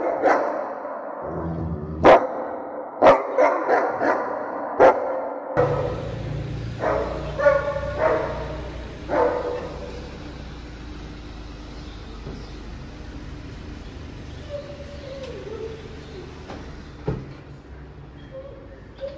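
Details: German Shepherd eagerly welcoming its owner home: loud, harmonic barks and whining yelps crowd the first five seconds among sharp clicks, a few more barks follow around seven to nine seconds, then a quieter low hum with faint, scattered sounds.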